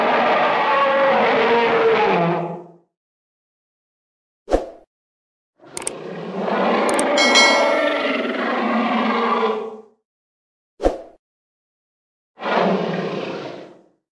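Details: An African elephant trumpets in loud, brassy blasts, separated by short silences and sharp clicks.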